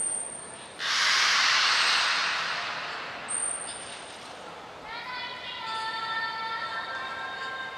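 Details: Beluga Nana at Port of Nagoya Public Aquarium on 9 August 2022, during a move to another pool: a loud rushing splash of water early on, then sustained harmonic whistles from midway, held steady and slightly wavering over the water noise.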